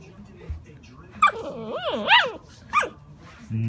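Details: Alaskan malamute puppy giving a drawn-out, wavering 'woo-woo' vocalization, its pitch rising and falling in several swoops over about a second and a half, ending in a short high yelp.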